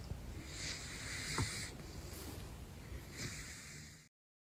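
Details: Sleeping caracal known as Big Floppa gives two rasping, hissy snoring breaths about two seconds apart, the second shorter, before the recording cuts to silence.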